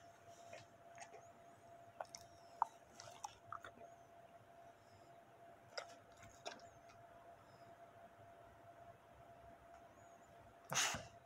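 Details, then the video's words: Steak being eaten by a Bully dog, recorded close for ASMR: scattered sharp bites and clicks early on, a quiet pause, then one loud wet crunch near the end; constant faint hum. "ASMR Bully/Dog eat Steak"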